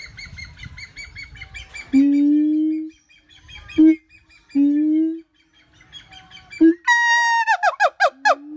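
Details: Siamang calling: after some faint background chatter, a series of low, steady, resonant hoots alternates with short barks, then rapid, loud, falling shrieks that repeat in quick succession before one more low hoot.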